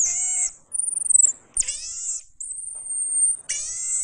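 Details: Pygmy marmoset giving very high, thin drawn-out whistles alternating with shorter harmonic-rich cries that drop slightly in pitch, about four calls in quick succession in an otherwise quiet setting.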